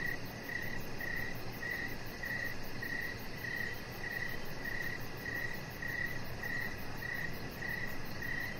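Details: Crickets chirping outside on an evening with a chihuahua puppy lying on a deck: fourteen short, high, even chirps about every 0.6 seconds, backed by a faint, quick high ticking and gentle low rumble.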